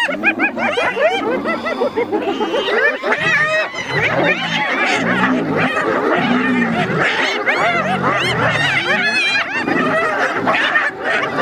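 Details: Several spotted hyenas battling a lion for food; rapid overlapping arched giggles and cackles fill the whole stretch, with deep pulsed growls surfacing in the middle and toward the end.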